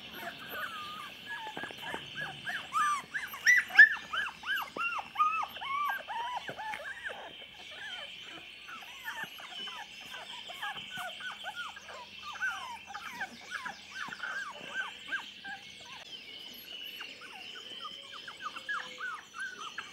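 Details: Chocolate Labrador pups aged 24 days keep up a busy stream of short, downward-slurred whimpers and squeaks, louder and more crowded in the first seconds, then softer and steadier, a faint steady hum behind them.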